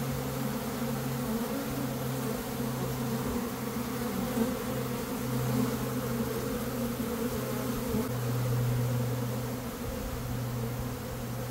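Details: Honey bee swarm in early May after a dearth, caught into a box: an even droning buzz with low steady tonal hums that come and go, rising slightly in loudness toward the end.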